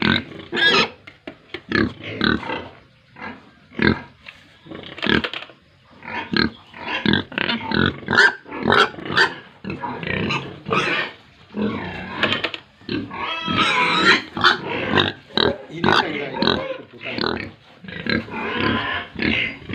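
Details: Pigs and piglets on a pig farm in Tripura grunt and squeal continuously, with short harsh bursts overlapping one another.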